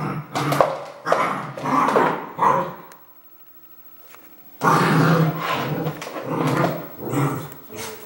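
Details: Red merle Border Collie barking in a quick series of gruff bursts, then falling silent for about a second and a half before resuming with long, rough, continuous barking.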